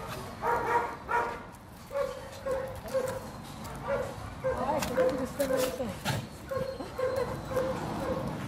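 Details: Ada, a two-year-old medium-sized female golden retriever-like dog up for adoption with the Trovatelli4000 association; short barks repeat roughly every half second in a steady series, with Italian voices talking over and between them.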